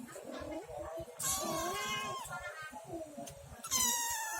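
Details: A domestic cat with an unusually strange voice gives drawn-out, wavering meows, one rising then sliding down, followed by a sharper, higher cry near the end, with faint low background noise throughout.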